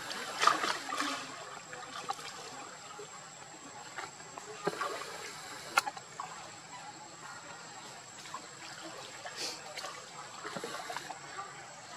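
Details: Trickling water and faint outdoor rustling fill the recording, with a few soft clicks and splashes and no clear animal voice.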